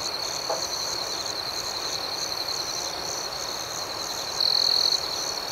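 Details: Night ambience of crickets: an even, high, ringing chorus with quick regular pulses, joined near the end by one louder, sustained trill lasting about half a second.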